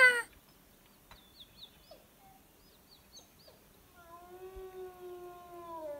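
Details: Wolf from a pack drawn in close to a high mountain lake by howling and mouth predator calls. Faint high chirps come first, then from about four seconds a long, steady, low howl with rich overtones.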